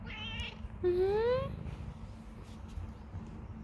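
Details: Persian cat indoors, meowing repeatedly; a short meow followed by a longer, clear, rising meow lasting over half a second, over a steady low electrical hum.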